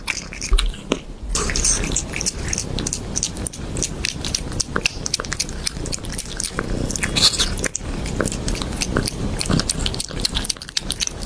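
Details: Cat eating raw fish indoors, loud wet biting and chewing with dense irregular crunching clicks throughout, steady smacking noises in a small room.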